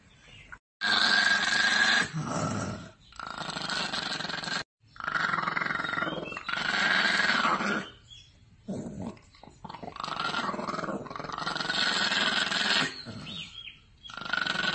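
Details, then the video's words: A dog making harsh, rough growling and grunting sounds in bursts of one to two seconds, broken by short silent gaps, over about fifteen seconds, with no other clear sounds. "dogs barking and howling in phone"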